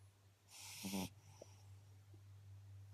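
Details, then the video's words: ['Eight-week-old Beagle puppy Bailey, a female, snoring while asleep: a single short, hissing, raspy inhaled snore with a low vibrating flutter, then a faint click and quiet breathing against a constant low hum.'] "Beagle puppy bailey asleep loud snoring"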